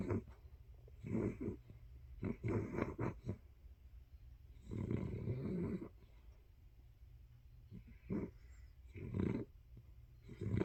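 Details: Sleeping dog snoring under a blanket: low, rough, rumbling breaths in bursts of about one second, repeated roughly every one to two seconds, some longer and louder than others, in a quiet room.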